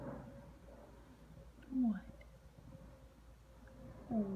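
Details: A two-year-old male liver-nosed Rhodesian Ridgeback cries because he wants attention and cannot be a lapdog. Two short, low, falling whimpers come around the second and fourth seconds over a steady indoor hum.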